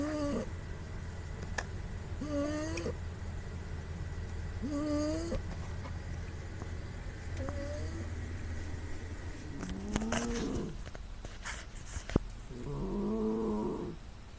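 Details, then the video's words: Sleeping female cat snoring loudly with nasal sounds, recorded on a smartphone in a quiet room: short tonal, nasal snores with stacked harmonics recur every two to three seconds over a steady low hum. "Great snoring cat"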